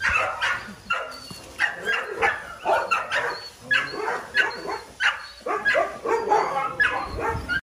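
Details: Small dogs barking in quick repeated bursts of sharp yaps, roughly two or three per second with short pauses between runs, some whimpering mixed in.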